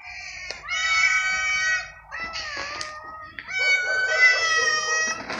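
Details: Stray cats fighting over food during an evening feeding, a small hungry gray newcomer attacked by another cat: three drawn-out, harmonically rich wailing yowls, each about a second long, separated by brief pauses, with faint rustling underneath.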